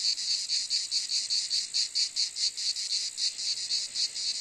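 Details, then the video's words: Cicada calling with a shrill, rasping buzz broken into regular throbbing pulses, roughly four per second, steady in loudness throughout with no other sounds. "Cicade geluid / Zikaden sound / Zikaden zirpen / Cicada sound effect"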